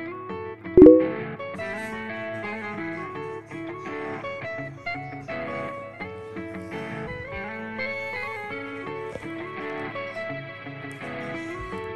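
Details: Guitar music plays throughout, with one sharp knock near the start and no animal voice.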